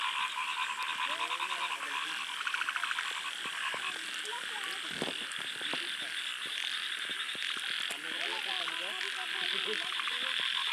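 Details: Many frogs in the first rain at a small lake in a field: a dense pulsing chorus with rapid clicking croak series, wavering lower calls in bursts, and occasional sharp knocks.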